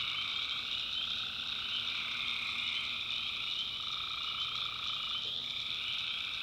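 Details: Night chorus of tree frogs from North Carolina backwoods: continuous shrill, buzzing trills stacked at several pitches, a middle voice pausing briefly and resuming, with no breaks in the overall wall of sound.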